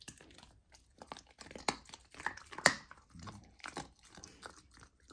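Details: Raw lamb being eaten by a golden retriever puppy trying it for the first time, indoors; separate crisp crunches and wet chomps, about one per second, with short silent gaps and one loud snap.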